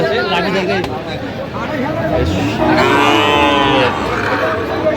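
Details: Sahiwal bull calves at a busy cattle market in Kurigram, Bangladesh, on 20 January; one drawn-out, droning moo rich in harmonics rises above steady crowd chatter and men bargaining over prices.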